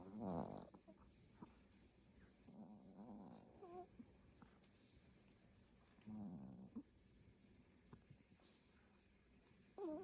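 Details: Sleeping dog snoring softly, recorded 5-24-2022, with faint rasping breaths and short squeaky whimpers between them in a quiet room.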